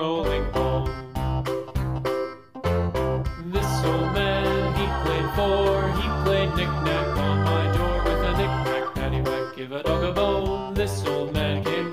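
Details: Loud organ-driven music with rhythmic chords and some singing fills the whole stretch, with no animal sound.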